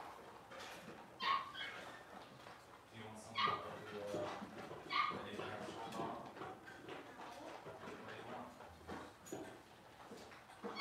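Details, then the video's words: Cavalier King Charles Spaniel puppies, six weeks old, handled for deworming and nail trimming; short high yips repeat every second or two over steady indoor background noise and soft voices. "6 Weeks Old: Puppies get dewormed and their toenails trimmed!"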